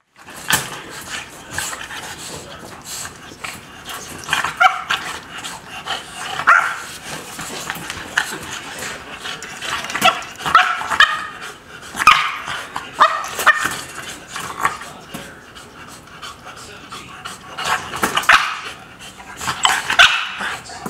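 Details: Lola, a dog heartbroken by barriers between her and another, whines and yelps in high, wavering bursts with short bark-like accents, recurring every second or two across the clip.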